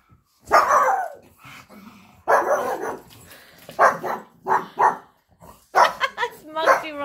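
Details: Pugs bark at a squirrel that came into the garden while on holiday, giving a series of short, sharp barks in uneven bursts, with a person talking in between.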